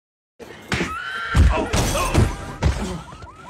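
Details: Horse neighing in a loud, shrill whinny with wavering pitch, mixed with heavy thuds and clattering impacts throughout.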